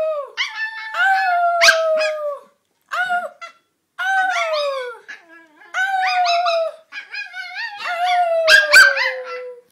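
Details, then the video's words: Bolonka Zwetna dog named Grisha making odd vocal sounds: drawn-out, falling, whiny howls in bursts of about two seconds, separated by brief silences, each tone sliding gently downward with a nasal, rasping edge. "Grisha making dumb sounds"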